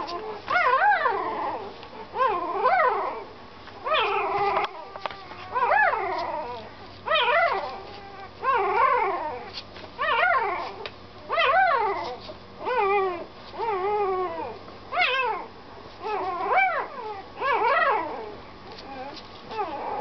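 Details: Puppy whimpering on a long road trip home: repeated high, wavering whines that rise and fall, one roughly every second and a half, sustained throughout with a low steady rumble underneath.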